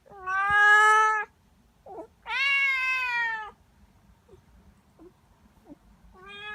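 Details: Young tabby-and-white domestic cat between three and ten months old meows loudly indoors: two long, drawn-out harmonic cries about a second each, a short chirp between them, soft clicks, then a third meow starting.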